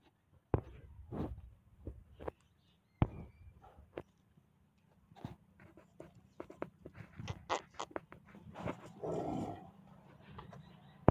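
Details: Pakistani Bully Kutta, a game dog, with a low rumbling growl underneath short sharp bursts scattered through the clip, then a rough, noisy, louder stretch near the end.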